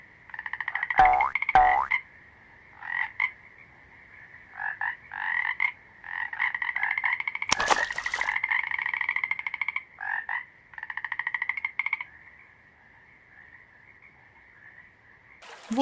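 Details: Toad croaks in short, rough, pulsed bursts of one to two seconds, irregularly spaced and varying in length, with a few sharp clicks and a loud crackling noise midway.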